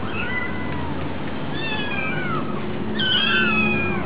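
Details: Hungry kittens at a cat cafe, soft drawn-out meows at first, then a louder, shrill cluster of overlapping cries near the end, over a steady low background noise.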